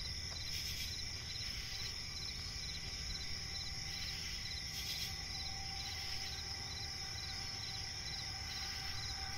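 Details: Crickets chirping in a swampy forest at night, constant piercing high trill with rhythmic chirp bursts and a brief louder crackle, backed by low ambient noise.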